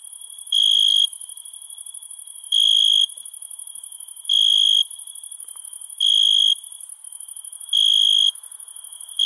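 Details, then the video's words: Crickets at night: loud half-second trills near 3.5k repeated about every one and a half to two seconds, over a continuous high buzzing chorus of other insects. "Night Ambient Sound ( Cricket Sounds )"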